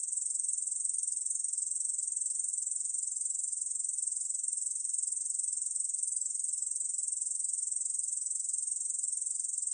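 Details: Korean field katydid recorded in 2020, giving an unbroken, shrill, sizzling trill of fast regular pulses at a constant high pitch, sustained for the whole stretch against silence.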